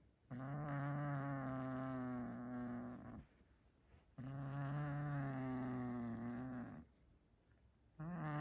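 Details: A male domestic cat refusing to release his favourite toy growls like a puppy when someone tries to take it: long, low, droning growls, each lasting about three seconds.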